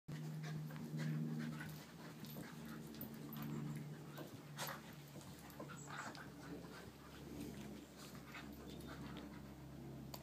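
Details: Danni, a puppy, panting softly in quick breathy bursts over a steady low hum, with a few faint clicks and a sharp knock at the very end.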